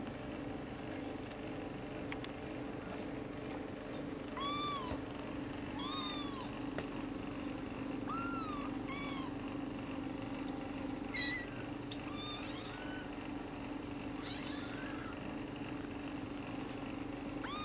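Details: Kittens of a mother cat named YAYA cry while begging for milk: several short, arched, harmonic-rich meows arrive in quick bursts, some overlapping, over a steady low household hum.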